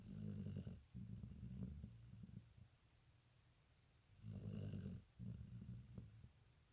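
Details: Sleeping dog snoring: two deep, rumbling snores about four seconds apart, each with a breathy hiss on the intake, then a softer rattling exhale trailing off.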